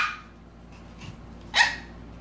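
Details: Seven-week-old Havanese puppies in a playpen, trying to reach their mother on the other side; a faint cry opens, then a single short, sharp, high yip bursts out near the end.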